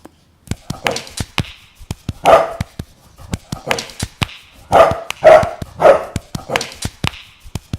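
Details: English Bulldog making a series of short, gruff, throaty vocal bursts, roughly one every second, mixed with sharp clicking taps and handling noises close to the microphone.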